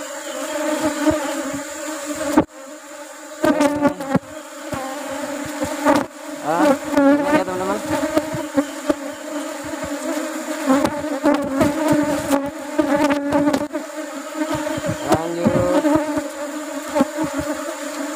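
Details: Honey bee colony hum during honey harvest in the season of flowering rubber trees: loud, steady layered drone throughout, cut by sharp clicks, scraping handling noises and brief wavering tones from people nearby.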